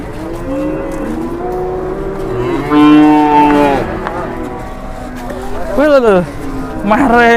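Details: Agitated cattle in Indonesia, angry while being unloaded from a truck and charging people. Several loud, drawn-out harmonic moos, one bending sharply up and down near the end, with voices warning each other to keep away.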